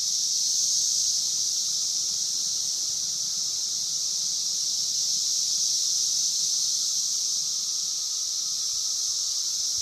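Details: Periodical cicada chorus of Brood V, the 17-year Magicicada, recorded at Vine and Walnut in Logan, Ohio. A steady, high, sizzling drone holds throughout, swelling slightly at the start, over a faint lower whine.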